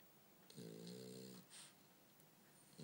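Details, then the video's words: Low, throaty snore from Bumble B, a sleeping French Bulldog, drawn out for nearly a second with a rich buzzing tone, followed by a short breathy exhale and the start of another snore. "Bumble B snore"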